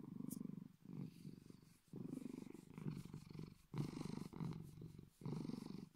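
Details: A deep, big-cat-like purr from Bedford the Bengal cat, a steady low rumble pulsing in breath-length waves roughly every second, with brief quiet gaps between inhale and exhale.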